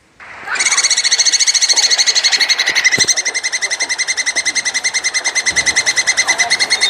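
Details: Plantain squirrel calling to mate, a continuous fast chattering rattle of bright, ringing notes held for about six seconds without a pause, slightly uneven in loudness.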